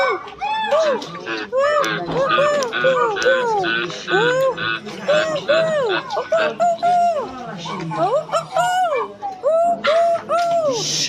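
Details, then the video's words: Silvery gibbons in chorus, a steady run of clear arched hoots, each note swelling up then dropping, overlapping with fainter voices and rising toward brighter, higher notes near the end. "The Silver gibbons sound effects"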